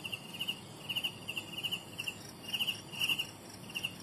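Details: Young crickets chirping: bright, high pulsed chirps in short bursts of three or four pulses, repeated roughly every half second, steady and rhythmic over a faint low background hiss.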